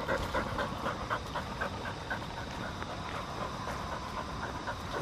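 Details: A four-year-old female field-line Labrador Retriever pants on a walk with a retractable lead; quick regular breaths are clearest in the first half, then fade into steady outdoor rumble.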